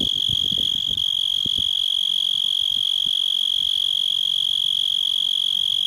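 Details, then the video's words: A yard cicada droning a constant high, piercing buzz made of quick regular pulses, with some faint low knocks and rustles early on. "Cicada Song"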